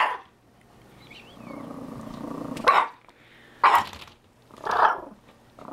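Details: Chihuahua, likely named Molly, barking at a tegu during an encounter: three loud sharp barks about a second apart, after a low rumbling growl and a faint whistled squeak.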